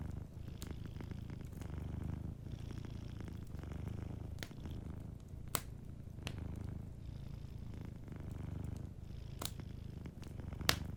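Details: Low, even purring of a cat sleeping near a crackling fireplace, the rumble breaking briefly between breaths, with sporadic sharp wood pops in the background.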